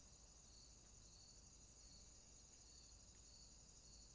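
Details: High, pulsing cricket trills throb steadily through a short moment of a swamp at night, over a soft low background.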